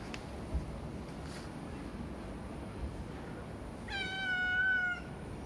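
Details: Calico cat giving a single clear meow lasting about a second, falling slightly in pitch with strong bright harmonics, after several seconds of quiet room noise.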